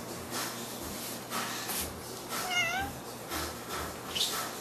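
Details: A stray orange cat near a house, which it often visits to be fed, with a second cat nearby; a single short wavering meow rises then falls in the middle, amid faint room noise and soft background rustling.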